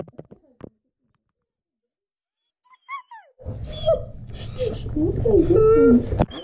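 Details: German Shepherd dog crying, scared on realizing he is going to the vet: thin high whines that rise and fall, then a run of short wavering whimpers near the end, over low vehicle rumble and a person talking.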